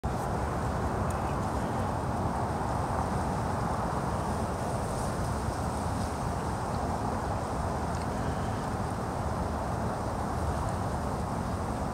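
Only a steady, low rumble of wind and distant traffic fills the recording, with no calls standing out.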